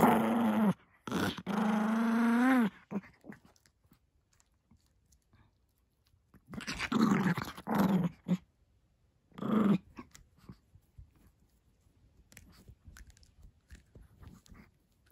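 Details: Indoor Chihuahua shop dog Kuromame, who shares his home with a Maltese, gives sustained rising grumbling growls in short bursts, then a few shorter growls, followed by quiet rustling in a small room.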